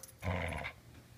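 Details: Border Collie holding a ball it refuses to give back, making a short rumbling growl-like vocal grumble lasting about half a second in a small room, with a woman's voice nearby.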